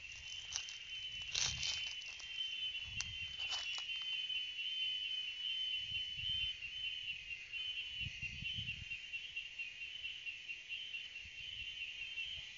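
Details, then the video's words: Cicadas singing: a steady, unbroken high-pitched buzzing drone holds one level throughout, with a few brief clicks and soft low thumps underneath. "Canto das Cigarras"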